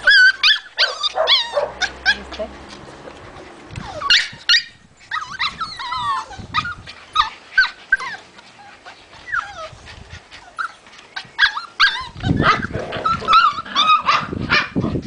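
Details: Several white Puli dogs at a kennel in Salgótarján, Hungary, bark and yip in rapid, overlapping bursts, with some high whimpering notes.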